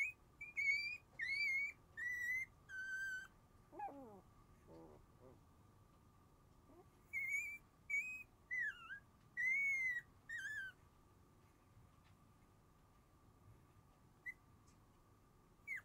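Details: Shiba Inu siblings born January 7, two males and a female, whimper drowsily in thin whistling cries. The cries fall into two bursts separated by a few softer downward squeals, then quiet with a steady electrical-like hum.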